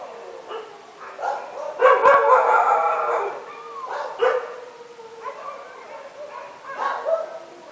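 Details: Several dogs barking at midnight, with a loud cluster of overlapping barks early on, then scattered barks, yips and a drawn-out whining tone from multiple animals.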